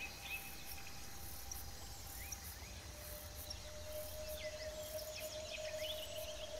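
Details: Bush crickets, a compilation of three different types, sing high, hissing bursts that repeat roughly every second over a low rumble.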